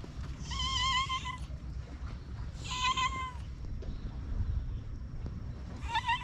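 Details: Cats dwelling in a disused school on a Japanese cat island, filmed on a GoPro; two long wavering meows about two seconds apart, a third starting at the end, over low background rumble.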